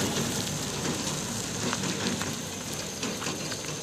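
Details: A dense, steady broadband hiss resembling rain or sizzling fills the whole stretch, with no animal voices.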